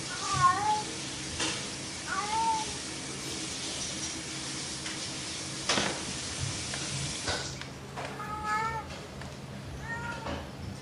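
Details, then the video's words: Playful pet cat making soft, short meows, two early and a few more near the end, quieter and partly masked by room noise and occasional thumps. "Mèo kêu meo meo Chú mèo tinh nghịch Tiếng mèo kêu"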